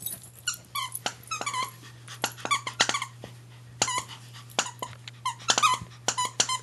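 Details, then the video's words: Two Maltese dogs, Winter and Billy, play fighting; high squeaky yips and whines burst out rapidly, several each second in uneven clusters, over a steady low hum. "Maltese dogs playing"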